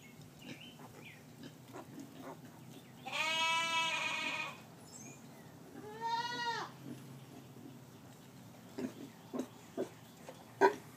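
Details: Just-born piglets, under 24 hours old, with mother sow Gracie: a long, steady, buzzy harmonic cry lasting over a second, then a shorter arched squeal, then scattered soft taps and knocks.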